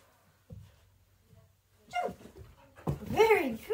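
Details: Border Collie Margot, a female, barking indoors in a small room while playing a jumping game during December games; a short loud harmonic bark after a quiet pause, with a woman praising and giving commands nearby.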